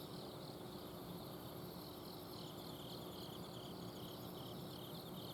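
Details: Autumn insects singing at night in a garden in Azumino, Japan. Repeated high pulsed trills overlap with a sustained very high ringing, with a low steady hum of an air-conditioner outdoor unit throughout.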